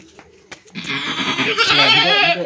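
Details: Domestic goat bleating loudly: after a short click, one long, strained, wavering bleat rises and holds for nearly two seconds, rich and nasal, with faint background murmur.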